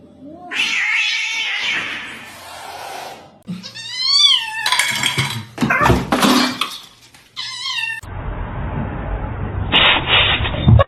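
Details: Kitten meowing loudly in a series of wavering, rising-and-falling meows and harsher caterwaul-like cries, mixed with clattering, rustling and a brief woman's voice.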